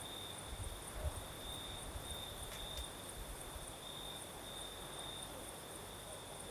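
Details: Night chorus of crickets in the south of Crimea with a night breeze: a continuous shrill trill that wavers slightly in strength, backed by low rumbling puffs of breeze and a faint hiss.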